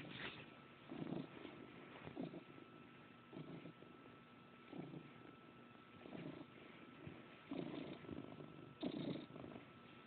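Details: Happy house cat purring its gruff contented purr while energetically kneading bedsheets, phone recording; low rough purring swells in repeated breathy waves roughly every second and a half, with a soft rustle near the end.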